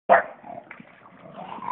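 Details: Two English Bulldogs fight over a water hose in a tug of war: a sharp, barking yelp, then a rough, rumbling growl.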